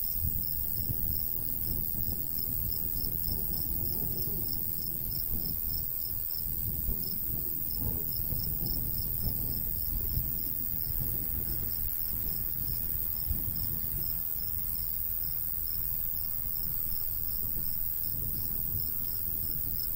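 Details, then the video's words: Crickets in a summertime wheat-field countryside keep up a continuous, rapid series of high chirps at an even pace, beneath a constant low breeze with occasional gusts. "Countryside/cricket sounds"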